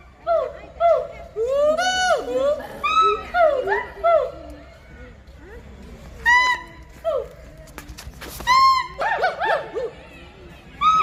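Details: Hoolock gibbons at Assam State Zoo give loud, rising and falling whoops in rapid, repeated bursts, with voices nearby.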